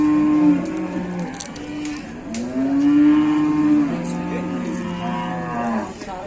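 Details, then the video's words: Cattle early in the morning at the busy Muntilan livestock market, Indonesia, during a commotion of fighting cattle: several drawn-out, harmonic-rich moos follow one another, one rising then level, overlapping lower lowing, with faint market noise behind. "Ada sapi gelut geger geden"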